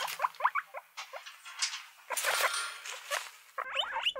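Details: Guinea pigs, several animals, giving short high squeaks and chirps in bursts, some sliding upward, with pauses, rustling and scuffling between calls.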